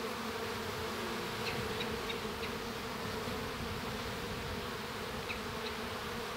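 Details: Inside a honey bee hive during a young bee's hatching, a steady, dense, low droning hum of western honey bees with a few faint higher ticks.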